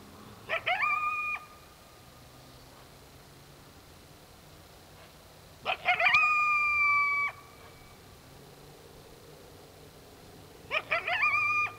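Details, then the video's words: Coyote calling at dark, three separate bouts spaced several seconds apart, each a quick cluster of choppy yips sliding into a clear, level howl lasting about a second. Quiet hiss between bouts. "Coyote Sounds at Dark"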